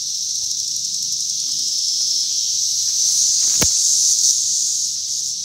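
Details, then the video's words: Unbroken shrill buzzing of cicadas, recorded in 2021, holds an even hissing tone throughout, interrupted once by a single sharp click. "Cicada’s 2021 Sounds"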